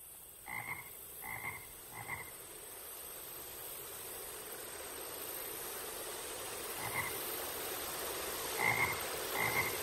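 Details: Frog giving short, rough croaks: three in quick succession at the start, then after a pause a few more spaced near the end, over a constant hissing background noise.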